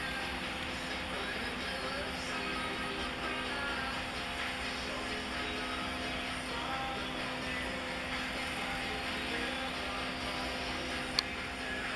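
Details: Steady background music over a low constant hum, with no animal sounds heard.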